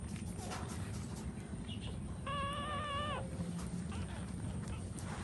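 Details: A nursing puppy, feeding while its mother stands, lets out a single steady, level whine lasting about a second over a low background rumble.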